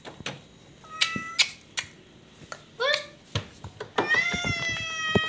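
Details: Pet cat indoors making short meows and a sliding cry, ending in a longer high, steady meow, between sharp taps, clicks and handling noises.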